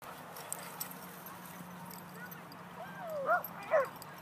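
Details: Tug-it, a red Border Collie puppy in a positive clicker-training session, gives two short, high whines near the end after a stretch of faint, wavering whimpering over a low steady hum.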